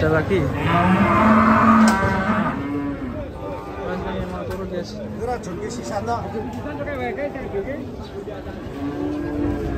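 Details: Rampaging sacrificial cattle: a loud, drawn-out, low moo fills the first two seconds, then quieter, shorter lowing follows while people's voices murmur underneath.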